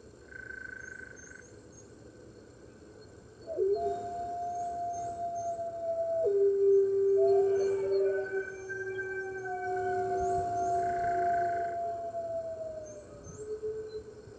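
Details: Red wolves at the NY Wolf Conservation Center howling with the rest of the center's wolves on the morning of March 15th, 2013, via webcam: several long, smooth, overlapping howls at different pitches, rising in strength then fading.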